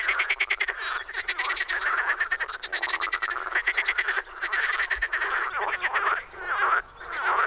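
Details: Frogs in the Czech Republic during spring producing a busy chorus of quick, stuttering croaks, dense and rattling, with short dips and then renewed bursts of calling.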